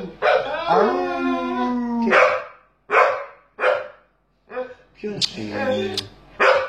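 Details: A dog lying in an odd position makes drawn-out, wavering whines and moaning yelps in irregular bursts, like grumbling complaints; owner suspects he is complaining about something.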